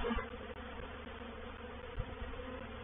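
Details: Swarming honey bees settling into a swarm trap at Painted Peacock Manor, 04/07/21; an unbroken low humming drone with a faint tap or two against the hive.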